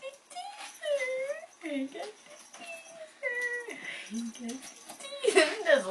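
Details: Young Bengal kittens, four littermates just past the toddling stage, learning to play together; a string of short, high, clear mews, some bending downward, with a woman's cooing voice talking over them.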